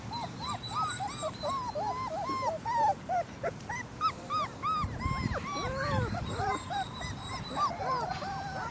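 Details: A litter of German Shepherd puppies, three weeks old, keeps up a dense chorus of high, arched whines and squeaks. Overlapping cries rise and fall several times per second throughout, with soft low thuds underneath.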